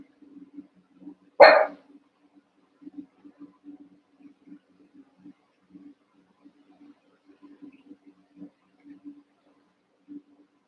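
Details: Cavalier King Charles Spaniel puppies, roughly one month old, playing and wrestling in a pen of eight; one loud, clipped bark early on, then a long stretch of gentle scrabbling and soft taps.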